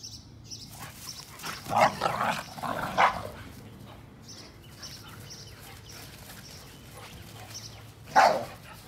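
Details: Barking from a 60 lb American Pit Bull Terrier kept alongside a 35 lb American Staffordshire Terrier: a cluster of several barks early on, a pause with quiet noise, then one sharp bark near the end; some human voices.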